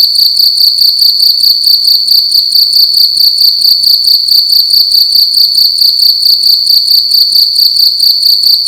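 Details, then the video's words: Loud cricket calling inside a room during the night, a continuous shrill high-pitched trill broken into rapid regular pulses, steady in loudness throughout, nothing else audible. "Cricket making loud sounds at night in a room"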